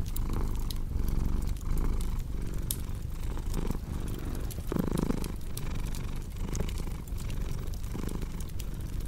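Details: Cat purring in a low, grainy rumble that pulses with each inhale and exhale, briefly louder near the middle. Crackling fireplace pops run underneath throughout.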